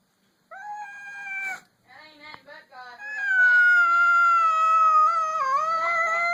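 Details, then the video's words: Pet cat on its first meeting with another cat: a short whining yowl, a few broken warbling chirps, then a long sustained wail with a wavering dip near the end. "Cat making a strange noise."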